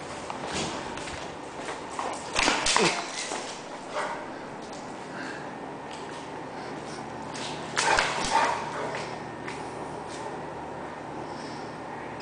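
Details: Diesel, an 11-month-old American Bulldog weighing 102 lbs, acting a fool: scattered harsh, noisy growling grunts, strongest around two and a half and eight seconds, with softer snuffles between and faint voices in the room.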